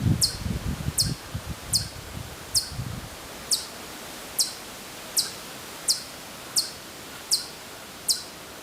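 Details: Hokkaido chipmunk calling from far off at Maruyama, Sapporo, Hokkaido, Japan, in September 2014: sharp, high chips repeated about every 0.7 seconds, with leaf rustling and low handling noise during the first three seconds.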